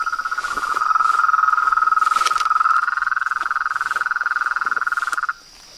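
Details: Chorus of frogs, toads and tree frogs: a steady, fast pulsing trill at mid pitch with a fainter high overtone, about four pulses a second, louder in the first half, then stopping abruptly near the end.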